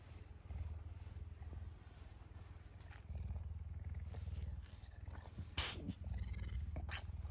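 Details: Pet puma being especially affectionate one morning, rumbling a low, rapid pulsing purr at about four throbs a second, with wet licking and rustling sounds near the end.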